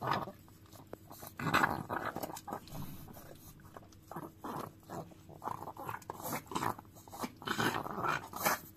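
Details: Chihuahua licking a frying pan indoors, wet smacking and lapping sounds in irregular bursts, with occasional clicks of tongue against metal in a small room.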